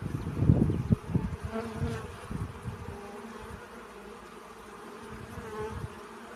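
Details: Bees busy collecting pollen give a quiet, continuous low drone whose pitch wavers gently, louder in the first second and then fading to a faint steady hum over soft background rustling.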